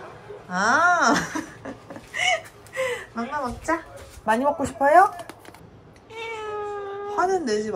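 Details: Pet cat indoors in a small room, giving a run of short arched meows, rising then falling, several in quick succession, with a person talking over and between the calls.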